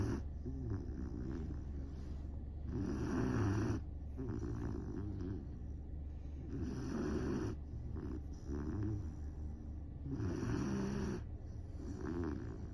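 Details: Sleeping Great Dane puppy Saigo-don snores in a steady cycle. Deep, gravelly snorts come roughly every three to four seconds, about four loud breaths, separated by quieter wheezy inhalations.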